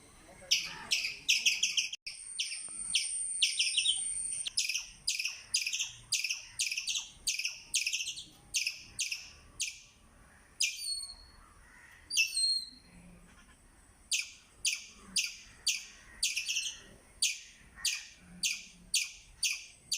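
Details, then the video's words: Squirrel chirping in fast stuttering bursts, a thin sustained high whine partway through, then evenly paced sharp chips about every half second. "Squirrel chirping Sound"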